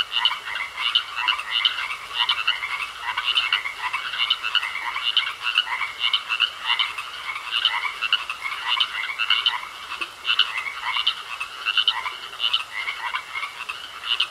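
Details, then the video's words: A pond chorus of frogs: rapid, evenly spaced croaking pulses repeating many times a second without pause, several voices layered, with a faint steady whine underneath. "Sounds Of Frogs Croaking In A Pond"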